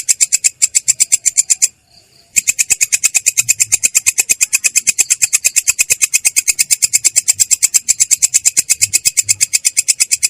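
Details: Katydid known as belalang kecek performing ngerol, a clear, harsh rolling song: a short burst of high rasping pulses, a pause of under a second, then a long steady run of rapid pulses.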